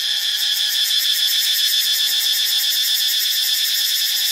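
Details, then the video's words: Cicadas in Ubon Ratchathani, Thailand, in a dense, steady, shrill buzzing chorus. Layered high-pitched bands hold constant throughout with a fast rapid pulsing, and no other sounds stand out. "เสียงจักจั่น (Cicadidae)"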